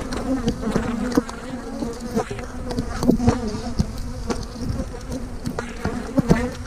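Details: Steady drone of many honey bees as colonies are split, queen cells in splits, 3/2020; a low even hum with bright overtones, punctuated by repeated handling clicks and bumps.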